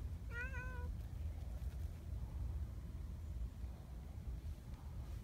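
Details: A big black community cat named Donchan, a friendly boss cat, gives a single short wavering meow near the start, then only a low steady rumble of outdoor background noise continues.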